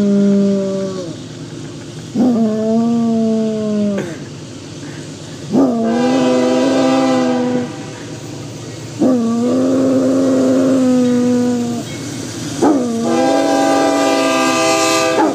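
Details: Droopy, a five-year-old Basset Hound, howls at the train: a series of five sustained, wavering howls, each a couple of seconds long with short gaps, while rumbling train noise fills the background.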